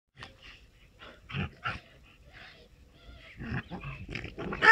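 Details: Two dogs playing, a Moscow watchdog and Amstaff cross with a French bulldog: scattered rough, breathy growls and snorts in short bursts, quieter in the middle, then a denser cluster of gruff noises toward the end.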